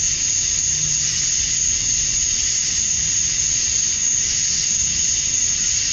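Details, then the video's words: At dusk on a summer night in Georgia, USA, male cicadas call for females in a steady, high, sizzling drone with an even piercing tone riding over it; faint low rumble in the background. "Cicadas at Dusk, Summer Night"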